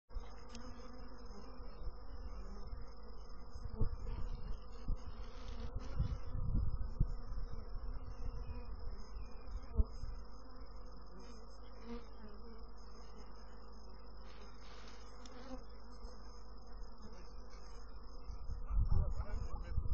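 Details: Honey bees give a dense, steady low hum with layered harmonic bands. Louder swells come around the middle and at the end, with occasional thumps and a thin constant high tone over it.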